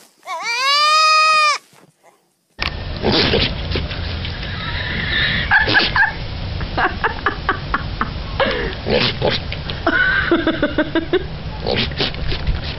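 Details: Loud, drawn-out goat scream with a rising-then-falling, strongly tonal arc, held for over a second. A pause follows, then a noisy stretch of clicks, thumps and scattered short calls over steady background rumble.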